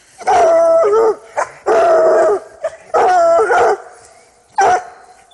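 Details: Hounds getting their first smell of a caught coyote, urged on by a man; loud drawn-out bawling bays with a dipping, wavering tone, four long calls in five seconds with short barks between, clear and close.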